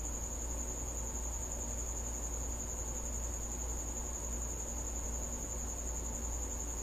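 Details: A cricket that has come into a house at night sings a constant thin, high-pitched ringing trill for the whole stretch, backed by a low background drone.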